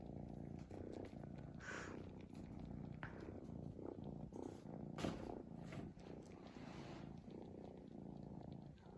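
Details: A cat sleeps and snores, giving a continuous low raspy drone that swells and fades with its breathing, with faint clicks and rustles over it.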